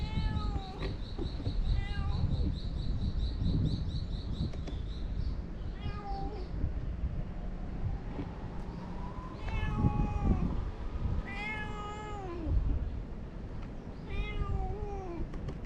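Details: Talkative stray cat meowing repeatedly while being petted outdoors in Japan: a run of short, rising-falling meows across the clip, some drawn out, with a steady high whine and low background rumble throughout.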